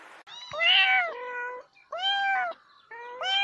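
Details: Domestic cat giving three drawn-out meows, each a harmonic, slightly arched wail with a step down in pitch partway, separated by short pauses in a quiet room.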